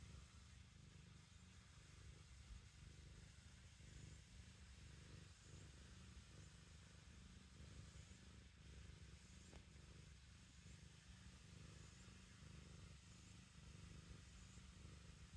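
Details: Purring from a black kitten while it kneads with its paws, making biscuits: a deep, even buzz with regular soft pulses through the breaths, close and quiet indoors.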